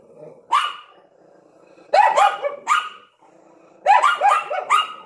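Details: At the window, a Yorkshire Terrier with a Lhasa Apso gives three bursts of barking: one lone yap, then two tight clusters of several rapid, sharp barks, with a low background hum between them.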